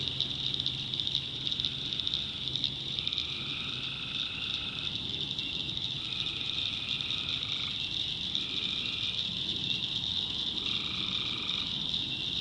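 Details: Swamp at night in the North Carolina backwoods, where tree frogs give repeated one-second mid-pitched trills, sometimes overlapping, above an unbroken high cricket hum and faint low rumbling.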